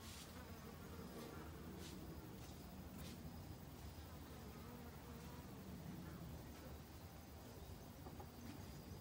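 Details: Autumn honey bees working hard to gather winter stores make a continuous low droning buzz that swells and fades as they fly near, with scattered sharp ticks and clicks above it.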